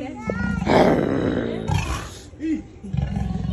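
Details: An angry leopard at Hartbeespoort Animal Park, North West, South Africa, gives harsh, rasping growls and snarls in short, rough bursts.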